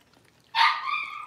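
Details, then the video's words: Blenheim Cavalier King Charles Spaniel puppy from a litter of five born on New Year's, playing in the pen; a single high, drawn-out yelp that starts sharply and trails off as a whiny tone. "Cavalier Puppies Livestream: Playing, Barking, and Learning"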